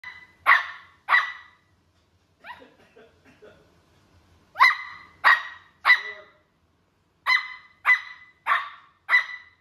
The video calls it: Papillon puppy randomly barking 😂